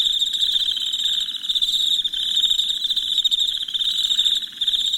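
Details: Nighttime cricket chorus: an unbroken, piercing high trill made of fast pulses, holding an even level throughout with only small dips in loudness.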